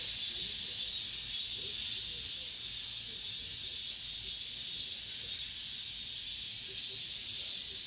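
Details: End-of-summer cicada chorus heard among apartment buildings: a bright, sizzling drone with faint regular pulsing, growing a little louder after the first two seconds and staying even.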